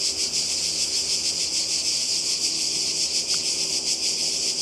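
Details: Cicadas in Croatia by the sea, summer 2020: a bright, continuous high buzz swelling in slower pulses, with one brief faint click partway through.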